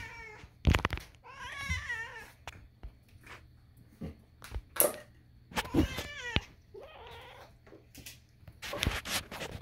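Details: A kitten indoors lets out loud, wavering meows, a few in quick succession, broken up by sharp thumps and clicks in a small room.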